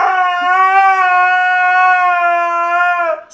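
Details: A Siberian husky, screaming in a face-off with a French bulldog, gives one long, steady, nasal howling scream that holds its pitch for about three seconds.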